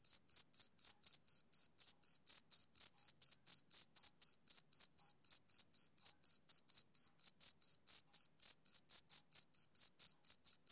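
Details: Summer-evening chirping of a male cricket, a rhythmic train of shrill, short pulses at roughly four per second, unbroken for the whole stretch, over a silent background.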